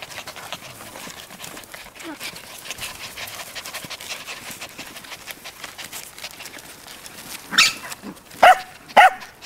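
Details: Cairn Terrier puppies at a kennel in Escaudes, France, pant and snuffle quietly, then give three sharp, high yelps near the end.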